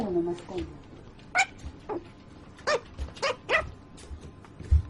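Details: Brief human speech at the start, then a sleeping puppy gives a run of short, nasal yips and squeaks, several close together, with light rustling underneath.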